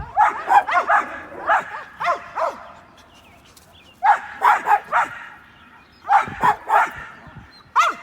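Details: Domestic dogs, a little one and big ones, barking at a squirrel; bursts of three to five sharp barks separated by pauses of a second or more, with quiet gaps between the volleys.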